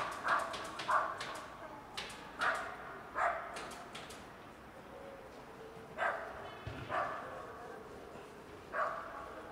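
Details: Hungry kitten turning up beside a cat resting on a car, giving short harmonic meows in quick bursts, about seven calls across the stretch with brief pauses between, over a faint background hiss.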